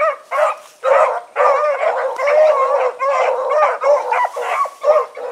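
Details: Hounds of a pack on an evening run, August 2014, giving loud, short, ringing bays and barks in quick bursts, voices overlapping with brief gaps between volleys.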